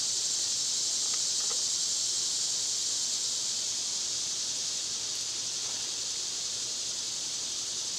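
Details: Cicadas droning in summer, a constant sizzling high-pitched buzz that never breaks; a couple of faint soft clicks and a brief rustle sit beneath it.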